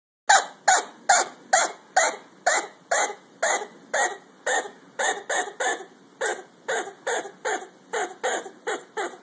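A chinchilla utters a steady run of brief, raspy squeaks, each a sharp burst repeated roughly two to three times a second. The notes are broad and noisy rather than tonal, fading slightly toward the end of the series.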